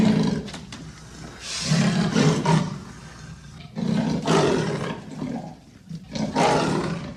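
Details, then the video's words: Leopard making rough, breathy roaring grunts in uneven bursts a second or two apart, coarse and rasping with low rumbling undertones. "The sound of the leopard is like a large displacement engine"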